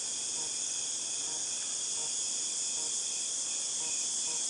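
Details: August 2018 cicada chorus: an intense, steady shrill hiss holding level from start to finish, with soft rhythmic pulses beneath it.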